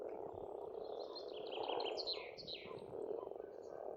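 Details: Massed croaking of pond frogs in spring in Estonia swells into a thick, steady chorus, topped by a bird's rapid run of high, ringing notes that rise and fall over two seconds.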